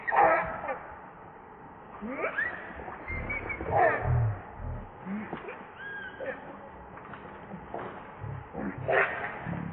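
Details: Baby monkey Rainbow, hungry for milk while its mother refuses to nurse it, gives short tonal squeals that rise and fall, several spread across the clip, with a rustling, low-rumbling background.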